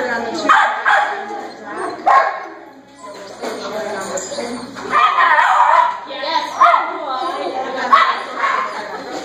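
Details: Rico, a dog on his second barn hunt try for rats on 28 March 2014, filmed by phone, lets out high, strained screaming yelps in bursts spread across the recording, mixed with a person's talking voice.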